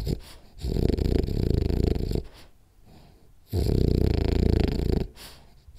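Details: French Bulldog named Rolly asleep in a ten-minute nap, snoring loudly: two long rumbling, vibrating inhalations about three seconds apart, separated by quiet wheezy exhales.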